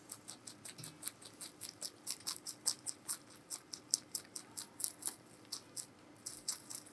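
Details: Close-miked giant rabbit Meonji chewing vegetables at Alpaca World: sharp, bright crunches in a fast, even rhythm, several per second, with a low constant hum behind them indoors.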